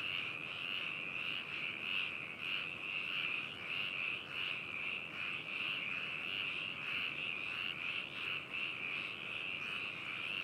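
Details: Frogs in full chorus at Hakushu, Hokuto, Yamanashi, Japan, captured in binaural stereo on 4 May 2018; thick, ongoing rattling croaks overlapping, with rhythmic pulses roughly twice a second.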